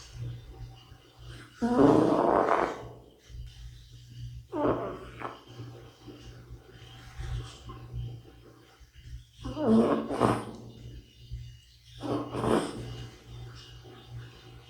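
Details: Older male cat snoring in sleep: four loud rasping, wheezy snores roughly every two to three seconds, each a broad rough burst, separated by quieter breathing over a constant low hum.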